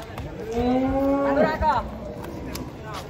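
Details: Large cattle unloaded from a truck one morning at an Indonesian cattle market: a single drawn-out, steady moo of more than a second that drops in pitch at the end, with people talking nearby.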